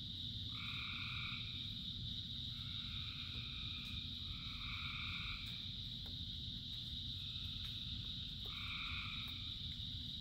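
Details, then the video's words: Frog chorus in rain with many voices. Overlapping tonal calls of about a second come in quick succession, sometimes three or four within a few seconds. A constant high whine and heavy rain hiss sit beneath, broken by occasional sharp drip clicks. "Frogs in Rain 2 Hours of Frogs, Thousands of Frogs Singing"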